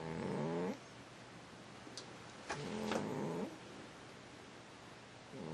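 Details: Sleeping cat snoring: a raspy, harmonic breath-snore of under a second at the start, then a second longer snore about two seconds later, with a few faint clicks in between.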